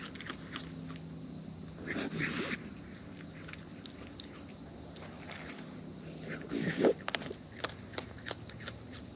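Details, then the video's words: Wild raccoons eating close up, with natural chewing sounds: irregular soft clicks and crunches throughout, plus louder rustling crunch bursts around two and seven seconds, over a steady faint high-pitched background tone. "Wild Raccoons & ASMR Chewing Sounds"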